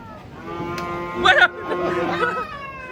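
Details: Giant cattle unloaded from a truck: long, steady, harmonic lowing held across the whole moment, with a brief louder burst of clatter or voices in the middle.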